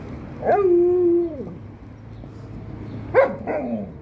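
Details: Liza the Alaskan Malamute still objects to the Australian Shepherd puppy Monti touching her ball, giving a long, level, moaning woo that drops at its end, then two short sharp yelps.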